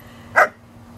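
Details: One short, sharp bark during play between a 5-month-old German Shepherd puppy and an American Eskimo Dog; a single mid-pitched burst with a quiet background hum before and after.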